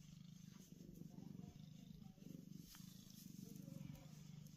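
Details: Domestic cat purring while happy on a cool concrete basement floor; a continuous low throbbing purr with clear pulsing in-and-out breaths, pausing briefly midway, over light background hiss.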